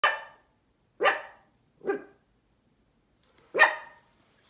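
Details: A Cavalier King Charles Spaniel puppy, not usually a barker, gives four sharp, mid-pitched barks at uneven intervals while staring at nothing, each bark fading quickly.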